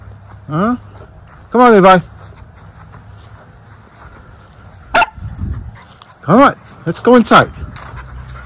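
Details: Miniature Schnauzer brothers off leash outdoors in spring, April 2024, running, jumping and sniffing after the snow has gone; a few short, sharp barks come in scattered bursts, with quiet gaps and some human voice between them.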